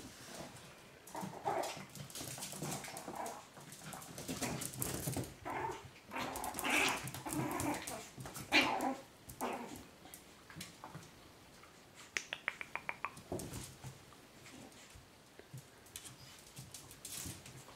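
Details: Chihuahua puppies from a 2012 litter of Mia and Bacardi, indoors; scattered short whimpers and yelps amid rustling and shuffling, with a cluster of thin, high, pulsed whines in the later part.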